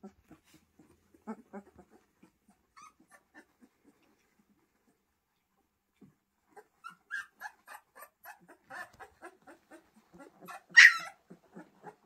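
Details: Pyrenean Mountain Dog puppies indoors give soft, scattered whimpers and yips, sparse at first, then a denser run of short squeaky calls with one louder high yelp near the end.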